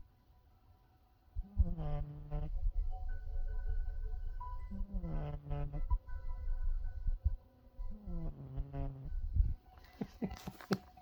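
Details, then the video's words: Pet cat snoring: three buzzy, droning snores about a second long sound roughly every three seconds, with faint steady tones between them and a burst of crackling noise at the end. "my kitty snoring"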